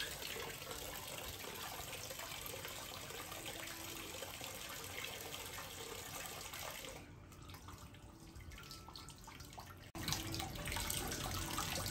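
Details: Tap water pours continuously into a sink, with a brief quieter moment before the flow resumes, and no animal voice present.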